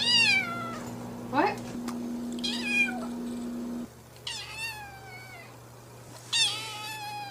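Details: Kittens meowing indoors: high, thin, harmonic-rich mews that bend downward, several in quick succession at the start and more around the middle and end, with a steady low hum and brief clicks in the background.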